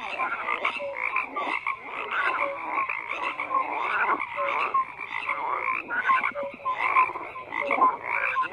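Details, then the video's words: A chorus of frogs keeps up constant croaking, bursts of rasping pulses swelling roughly once a second alongside brief whistled notes. "FROGS CROAKING"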